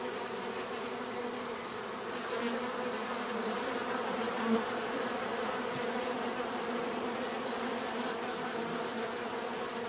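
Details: Bees buzzing in a continuous, even hum of layered low tones and a high whine, with one brief louder bump midway as a single bee passes close.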